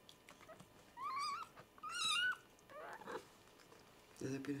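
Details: Kittens being washed by their mother, Like, indoors on a hot day; a few rising-falling mews with clear harmonics, two loud ones close together, over a woman's speech and soft household noise.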